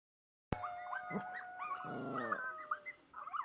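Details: A Kuvasz reacts to a long, steady wolf howl played on a computer, giving wavering, whining howls and yips over it.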